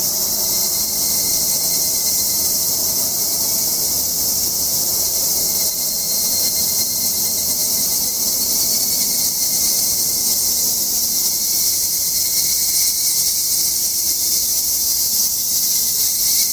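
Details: Summer cicadas in Japanese mountain countryside, recorded on a hike: a continuous shrill insect drone that holds steady throughout, with a thin constant lower whine and a faint low background rumble.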